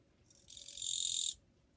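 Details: Japanese katydid (kirigirisu) singing on 2 July 2023, a fairly quiet one. A single dry, buzzy burst lasting under a second swells and stops, high-pitched and harsh, over a quiet background.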